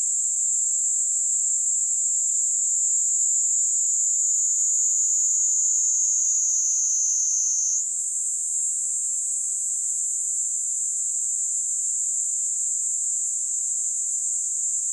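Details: A Kaempfer cicada (Platypleura kaempferi) held on a hand sings a steady, high, hissing buzz that shifts slightly in pitch partway through, in Kanto, Japan, on July 26, 2022.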